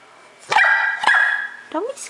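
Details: A 4-month-old female English Bulldog puppy, annoyed at the bulldog in the window, gives two high, harmonic barks, followed by a brief rising yip.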